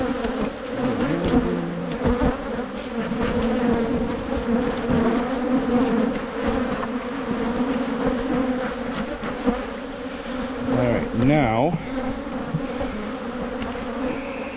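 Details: Michigan beehives being split against swarming: honey bees hum in a constant low drone, with a few bees flying close near the end in quick swooping buzzes.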